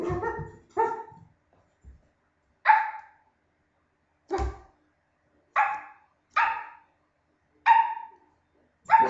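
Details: Dog in a barking contest, giving short sharp barks in irregular bursts, some doubled, spaced about one to two seconds apart across the recording, with quiet gaps between.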